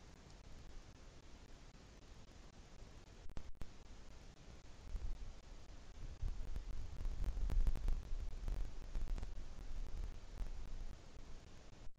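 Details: Only low rumbling handling noise and soft rustles, with no animal voice at all.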